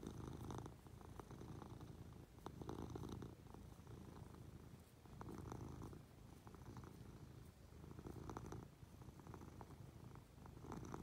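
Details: Munchkin cat purring while being affectionate, climbing onto its owner lying in bed; a steady low rumbling purr with soft rhythmic swells, quiet indoor setting.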